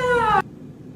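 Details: A young cat gives a single clear meow, a strong harmonic note held steady for under half a second and slightly falling, then cut off abruptly, leaving quiet room noise.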